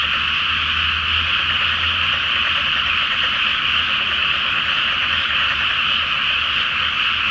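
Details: Night chorus of countless frogs in a flooded paddy before rice planting, beneath the May full moon: relentless, even, high-pitched trilled croaking throughout, plus a soft low rumble near the start.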